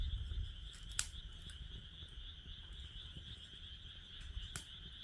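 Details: Continuous high frog trilling near a burning fire pit, a shimmering unbroken drone punctuated by several pops and snaps of crackling firewood over a low outdoor rumble.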